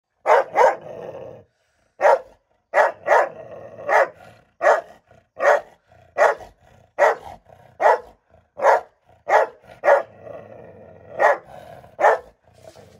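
A Rottweiler barks in loud, deep bursts, often doubled, repeated steadily about once a second.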